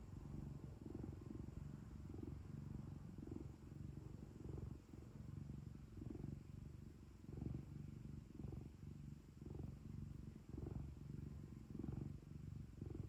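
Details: Purring of a pet cat at home, a long continuous low rumble whose loudness rises and falls with each breath roughly every second, accompanied by light background hiss.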